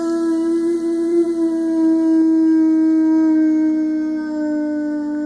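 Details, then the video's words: Howling 6-year-old male Boxer of 100 lbs, fond of singing along whenever possible, indoors: one continuous, even-pitched howl with many bright harmonics fills the whole stretch, sinking slightly toward the end. "Boo Boxer Singing"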